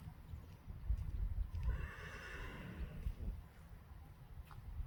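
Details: Friesian horses being let back into the pasture on a warm summer evening, galloping out and kicking; a faint, drawn-out whinny rises over a heavy low rumble of wind and hoof noise.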